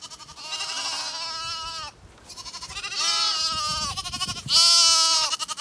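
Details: Zwartbles bottle lambs calling out on spotting their owner coming, hoping for milk; loud, close, rich quavering bleats run almost continuously, with one brief gap and a strained rising cry at the end.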